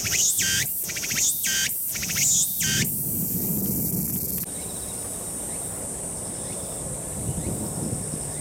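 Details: Walker's cicada (Meimuna opalifera, tsukutsukuboushi) sings loud, buzzy pulses about twice a second, then a steady high whine, another cicada droning faintly behind; recorded in a park in early September 2019.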